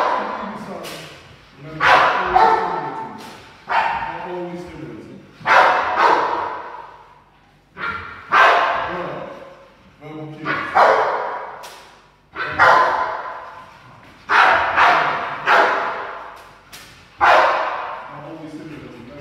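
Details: Young Rottweiler, ten months old, in protection foundation training, delivering strong, gruff barks singly and in close pairs about every two seconds, with human speech faintly underneath.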